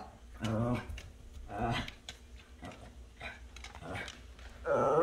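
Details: Pet dog growling at the neighbour's cat, which dislikes him though both are friendly; several low, moaning growl bursts with a throaty, harmonic tone, and a person speaking briefly.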